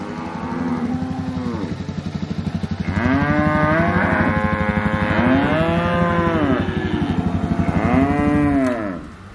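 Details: Cows lowing, October 2023, a series of four or five arching moos that climb then fall, the later ones louder and overlapping, backed by a steady pulsing motor-like drone that stops near the end.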